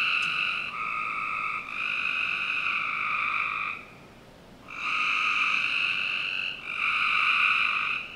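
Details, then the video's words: On a summer night in a Northern Virginia backyard, frogs keep up a near-continuous buzzing drone of overlapping calls, interrupted once by a pause of about a second. "Frog Night 1"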